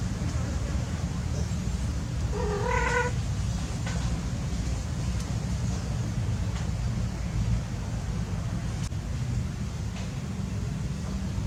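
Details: Cats at play outdoors; a single short, harmonic meow rises and falls near the three-second mark, surrounded by heavy, steady low-frequency rumble.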